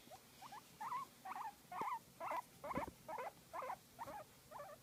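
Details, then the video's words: Guinea pig enjoying a massage, giving a run of short squeaky chirping calls, about eleven bursts repeated roughly twice per second, each with wavering pitch, a couple of soft thumps in the background. "Guinea Pig Enjoying a Massage and Making Cute Sound"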